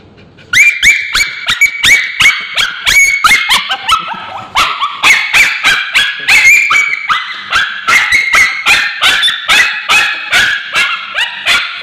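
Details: A male Bichon Frise with scabies screams in a rapid, unbroken run of high, shrill yelps while ointment is applied to his tail.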